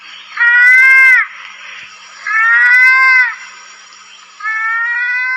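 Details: Kancil or pelanduk, the lesser mouse-deer, recorded in the wild giving three long, nasal, harmonic bleats that rise gently then fall at the end, spaced about two seconds apart, with low hiss between calls.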